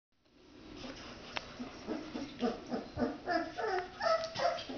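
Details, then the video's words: Red Standard Poodle puppies playing with their father; a rapid series of short tonal yips and whines, about three per second, growing louder and climbing higher in pitch toward the end. "Red Poodle puppies playng with their Daddy"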